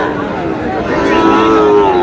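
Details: Sahiwal bull calves at a Brahmanbaria cattle market on 31 March: a long moo in the latter half, starting higher and sliding downward, over men haggling and general market din.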